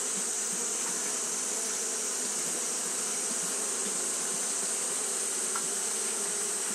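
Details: Japanese honey bees fan nonstop in hot weather, making a dense, even buzzing drone with low humming tones and a strong high-pitched hiss running underneath.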